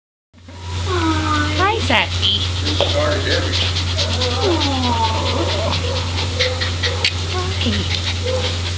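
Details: Spayed female white smooth-coated Chihuahua, about six years old, at an animal shelter: thin high whimpering whines that bend up and down in short arcs, mixed with a woman talking softly and a steady low hum.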